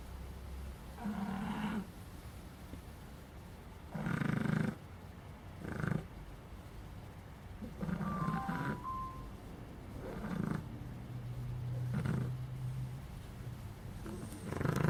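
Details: Puppy snoring in its sleep: low, raspy breaths rising and falling in bursts about every two seconds, with a few faint tonal squeaks midway and a quiet room behind.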